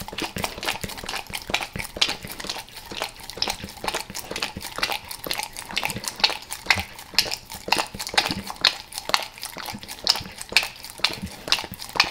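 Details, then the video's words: Wet, rapid lapping as Max, a dog, devours peanut butter squares and peanut butter oil in El Paso, steady crisp tongue clicks roughly twice per second with some dish-like clatter. "Max LIcks Peanut Butter Squares | ASMR DOG LICKING"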